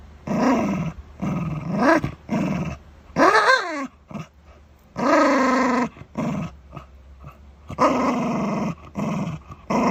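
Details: Shiba Inu guarding its dental chew, growling in rough one-second bursts that rise and fall in pitch, with one higher whining moan near the middle.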